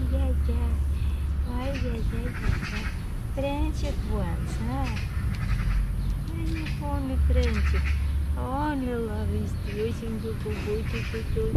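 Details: Affectionate young grey male cat, not hungry or thirsty, meowing for love and attention: many short, arched, rising-and-falling meows in rapid succession above a low purr, while a person talks to him.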